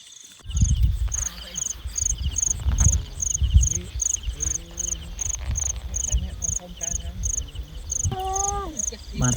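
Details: Field crickets at night in rice-field countryside while someone hunts them at dusk: high, short pulsed chirps repeated about twice a second throughout, over low rumbling handling noise, a few faint human voices and a brief wavering tone near the end.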